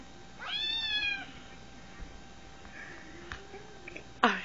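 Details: Cat that thinks another cat is in the phone and is chewing on it: one clear, downward-bending meow, then faint rustles and a sharp click at the end.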